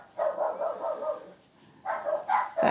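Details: Pet dogs barking outdoors while their owner works indoors; a quick run of four or five sharp, harmonic barks, a pause, then three more spaced barks.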